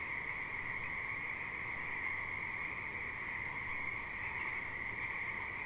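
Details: Riverside frogs in a thick continuous chorus: an even, shimmering trill that holds steady throughout, over a broad background hiss and low rumble.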